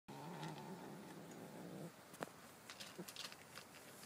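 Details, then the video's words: A very loud domestic cat growls in a continuous low, buzzy rumble for nearly two seconds. It then falls quiet, leaving soft clicks and rustles. "the growling kitty"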